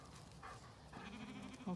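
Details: Zwartbles lambs on a regenerative farm in County Kilkenny, Ireland, calling on an early summer morning while being fed breakfast; a quiet, low, steady bleat rises in the second half over soft farmyard background.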